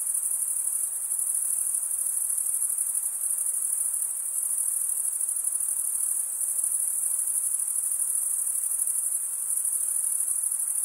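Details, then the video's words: Steady, high, buzzing trill of chirping crickets, the males rubbing a wing edge across the comb-like teeth beneath the other wing; the sound runs without pause and nothing else is heard. "Most relaxing cricket sound"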